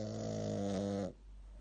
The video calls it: Super cute Shih tzu snoring